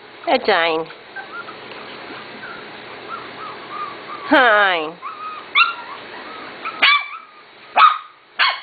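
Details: Corgi puppies nearly seven weeks old from the Katie and Venus litters, 28 June 2013: loud, rich yelps sliding downward near the start and middle, then shorter squeals and whimpers spaced through the clip, with a woman talking softly between them.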